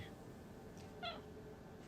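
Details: Pet cat asking to go back outside utters one short, clear meow with a slight downward bend, surrounded by faint room hum and near silence.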